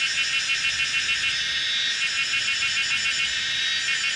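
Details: Kaempfer's cicadas in a lively chorus on a mountainside bend of old Route 106, Pinghe Village, Taiwu Township, Pingtung County, Taiwan, 19 May 2016 at 17:30, recorded on a Canon PowerShot SX700 HS; dense, steady high buzzing with a fast pulsing shimmer.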